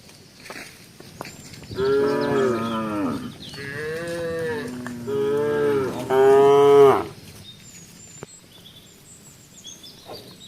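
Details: A tame village cow moving around moos several times in long, deep, drawn-out calls with strong harmonics.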